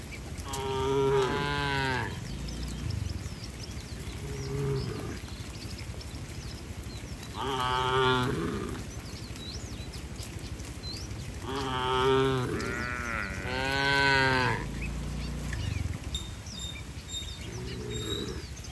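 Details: A group of tame cattle hurrying into the barn while rain falls in bright weather keep mooing. There are about seven full, resonant lowing calls of one to two seconds each, some overlapping, with light chirps in the background.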